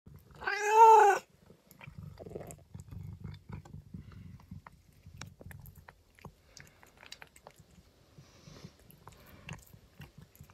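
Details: Pet cat giving one loud, clear meow with a rising then falling, harmonic-rich tone lasting about half a second, followed by quiet chewing and soft rustling sounds indoors.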